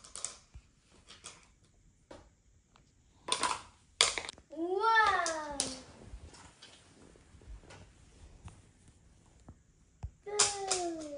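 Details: Ragamuffin cat, indoors and the first to take a seat at the dinner table, gives a drawn-out meow that rises then slides down. A shorter falling meow follows later, with scattered taps and clicks around it.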